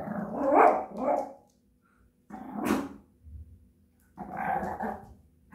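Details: Japanese Chin singing songs indoors: three separate throaty, growling howl-barks about two seconds apart, each a rough burst with a warbling edge, with quiet pauses between.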